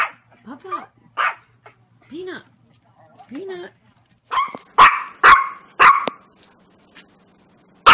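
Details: Yorkshire Terrier giving short whines and soft yips, then a run of sharp, loud barks, with a person speaking to the dog nearby.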